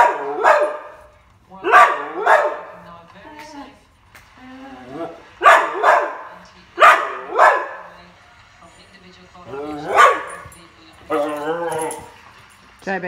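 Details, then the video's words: An indoor whippet, reactive while watching showjumping on television, gives repeated sharp barks in clusters of one or two, with higher whining yips in between and a person's voice nearby. "Reactive whippet tv"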